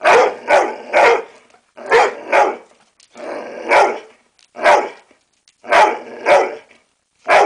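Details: Barking on command from an American Staffordshire Terrier: strong, rough barks delivered in pairs and singles, about a dozen in quick succession with brief pauses.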